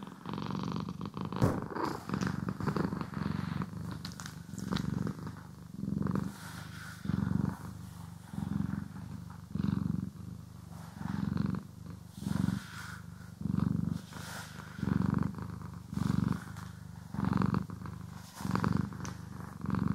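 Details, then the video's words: Domestic cat purring as it is groomed and brushed: rumbling low purr cycling in slow breath pulses about every second and a bit, with brushing rustles and a sharper scratch early on. "CAT ASMR | Purring, Grooming & Brushing"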